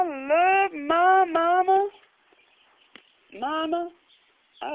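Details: Pet cat Sonny 'singing' along to a Meat Loaf song indoors: long, wavering, drawn-out yowls, several linked notes over two seconds that rise and fall, a pause, then one shorter moaning note.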